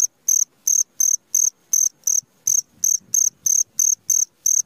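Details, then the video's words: Cricket calling in the middle of the night, shrill high pulses about three per second, each a short buzzy burst, steady and loud against a near-silent background. "SUARA JANGKRIK TENGAH MALAM"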